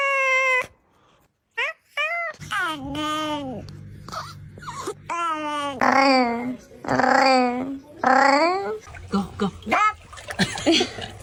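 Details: Domestic cat from a compilation of funny cat sounds, giving a run of drawn-out, wavering meows that swell and fall in arching contours, some long and some clipped short, separated by brief pauses.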